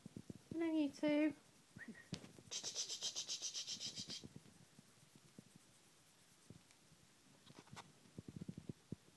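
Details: Tonkinese cat Noodles with her kittens on a Saturday morning indoors: two short harmonic meows near the start, a soft chirp, then a breathy hissing burst, with light handling noise and thumps through the rest.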